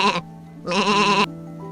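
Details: Sheep bleating in a children's animal compilation: a brief clipped bleat, a pause, then a longer quavering, nasal bleat of about half a second with a trembling waver, all over steady background music.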